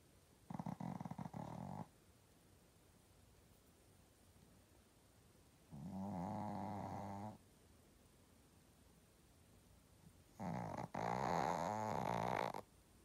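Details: A Shih Tzu snores in three long, rasping, buzzy breaths, each lasting one to two seconds and spaced about five seconds apart, with quiet pauses between them.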